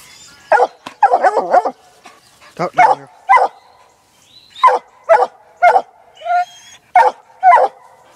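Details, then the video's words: Black and Tan Coonhound pup, six months old, trailing a laid coon scent; clusters of quick barks and yelps, some in rapid doublets, others spaced about a second apart, over a faint continuous hum. "Black n tan coon hound working coon trail"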